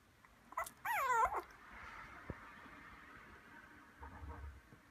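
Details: Male white Maltese × Toy Poodle mixed-breed puppy, 38 days old, recorded 19 December in Kumamoto, Japan; one high, arching, whiny whimper lasting about half a second, followed by faint shuffling and soft room noise.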